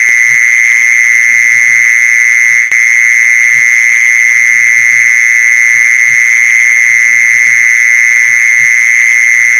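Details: Mole cricket trill for luring mole crickets, shrill and steady, sustained without gaps throughout, with a single click early on and faint low thumping scattered beneath.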